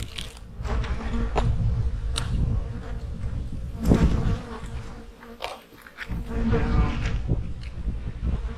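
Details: Honey bees humming at their hives in the fall, during preparation for the coming winter; a rich low buzzing drone dominates, punctuated by brief louder buzzes of bees flying close, with a short dip near the end.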